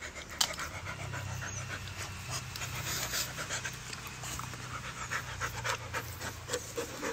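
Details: Pet Siberian Husky in Kerala panting in rapid, noisy breaths over a steady low hum, with a person's voice briefly at the end.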